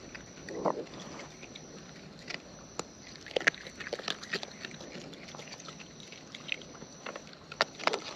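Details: Close-up chewing of wild raccoons as they eat: irregular crisp clicks and crunchy snaps, a short soft rustling burst early, louder cracks spaced out over the clip.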